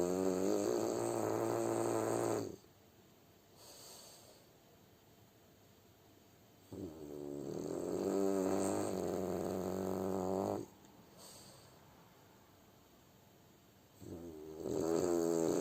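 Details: French Bulldog snoring in its sleep: three long rattling inhalation snores separated by quiet breathing pauses of about four seconds, each snore a buzzy, vibrating rasp.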